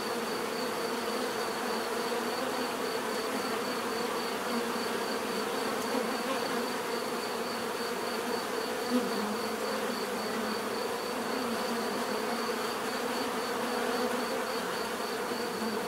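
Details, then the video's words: Bees producing a continuous natural buzz, a sustained layered hum that rises and dips slightly as individual insects pass close, plus a faint steady high whine. "bees therapy relaxing natural buzzing sound"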